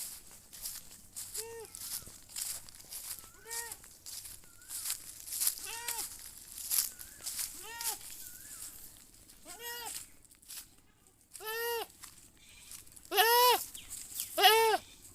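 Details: Goat bleating again and again, about ten harmonic, arching bleats spaced roughly every one to two seconds, growing louder and longer toward the end, with some faint chirps in the background.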